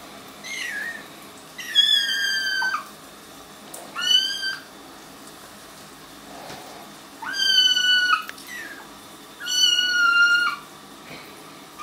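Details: Four loud, strained kitten meows, each about a second long with a rising start and a falling tail, arrive every two to three seconds. The kittens are sitting in a bathtub in their first week home and do not like it.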